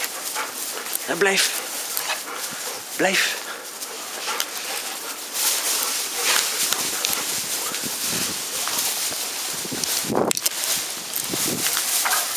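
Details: Several Bernese Mountain Dogs romping together in play; short yelps and brief barks break through scuffling and rustling, with people talking in the background.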